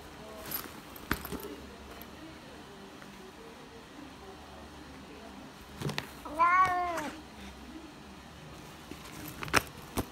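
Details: Bengal cat in a veterinary clinic waiting room gives a single drawn-out, arching meow with rich stacked harmonics midway through. Faint room hum, scattered clicks and knocks are heard before and after.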